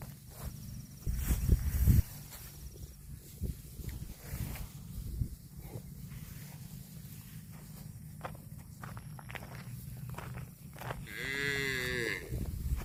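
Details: Cattle eating grass: steady crunching and tearing of grass and soft chewing clicks run throughout, then one short moo near the end, a tonal, arching call rich in overtones lasting about a second and a half.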